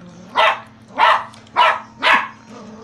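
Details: Eclips, a Poogle (poodle-beagle cross), gives four loud, sharp barks spaced about 0.6 seconds apart, each a short bright burst, over a steady low electrical hum.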